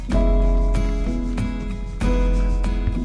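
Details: Plucked guitar-like instrumental music with steady sustained tones and strong low notes, struck chords near the start and at two seconds; no animal voices.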